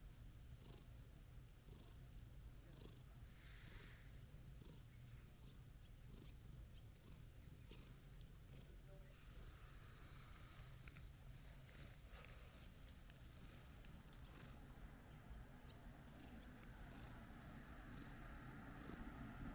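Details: Orange-and-white stray cat, placid and petted, keeps up a soft low purring drone with rhythmic pulses, plus brief rustling and handling noises.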